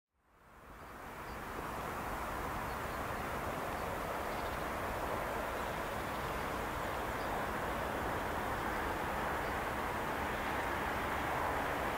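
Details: Only a steady, broad rushing rumble like distant traffic or a passing train is heard, with no clear animal calls.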